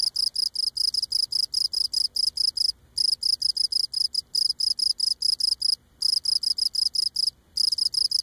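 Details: A Cape Cod cricket sings close up, rubbing legs against abdomen, a steady run of high, bright chirps with brief pauses. Cricket.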